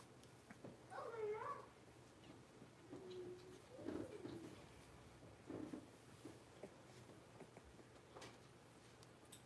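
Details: Six-week-old blenheim Cavalier King Charles Spaniel puppies, a litter of five in an indoor puppy pen, giving soft high whimpers and squeaky whines around one to two seconds in, then quieter whines later over a faint steady hum.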